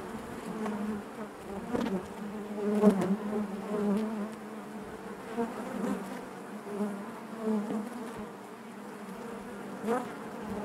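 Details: Honey bees buzzing inside their hive: a dense, steady hum with a low drone band, overlapping wingbeat tones rising and falling in brief swells every second or two, no other sounds.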